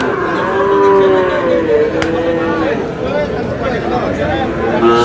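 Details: Sahiwal bull calves for sale at Aftabganj cattle market, Dinajpur, 4 August: a drawn-out, low, steady moo in the first two seconds gives way to human voices and the general market din.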